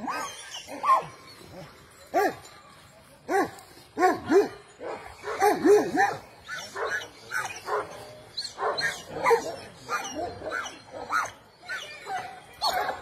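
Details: Three Kangal dogs, a father, son and mother named Kamyon, Merkel and Volvo, bark in a morning greeting: repeated deep, harmonic barks and yelps arriving in quick irregular bursts, often overlapping, with short quiet gaps between.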